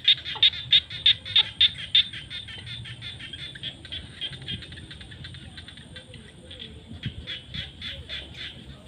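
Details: Frogs calling in the fields at sunset during the rainy season: a run of sharp, evenly spaced high clicking notes, about three a second, loud at first and then fading into a softer pulsing chorus over a low rural hum.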